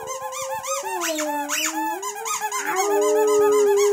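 A Boxer dog sings along with a squeaky toy, its howl sliding up and down in long, mournful tones. Sharp, rhythmic squeaks from the toy run through the whole stretch.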